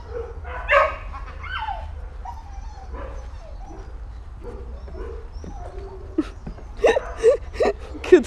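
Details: A female dog gives several sharp, abrupt barks near the end during barking-distraction training, as a person quietly commands "leave it" and praises her "good girl."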